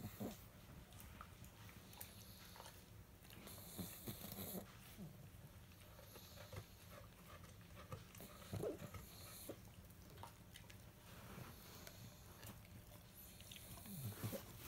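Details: Pug snoring indoors beside a Rhodesian Ridgeback, a low rumbling drone repeating in slow breaths, with occasional soft clicks and rustles.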